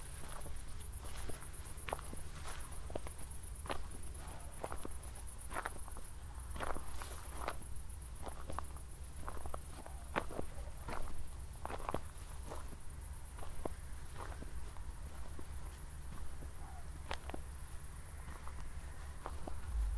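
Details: Evening crickets in Zwettl, Austria, after a thunderstorm had just passed: a sustained shrill, beating trill continues without pause while footsteps tap along and a low rumble fills the background.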